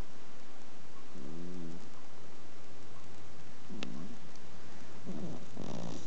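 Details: Exotic Shorthair cat asleep indoors, adopted female about seven years old, giving faint low snoring breaths: one drawn-out wavering rasp, then shorter snorts, with a sharp click partway through.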